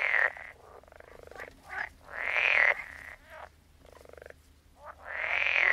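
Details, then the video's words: Croaking frogs: loud, drawn-out buzzy calls with a rising whine, alternating with quieter rasping croaks and short pauses, two or three callers heard. "Sound of Frogs Croaking"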